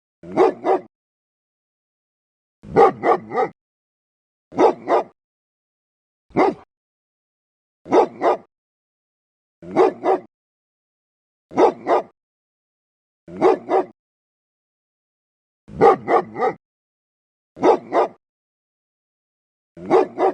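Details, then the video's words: A dog barks loudly and fiercely in a deep voice, giving about a dozen bursts of one to three barks at fairly steady intervals of roughly two seconds, with quiet gaps between and no background sound. "Tiếng chó sủa to, kinh hoàng, trầm, hay và ấm - Tiếng chó kêu"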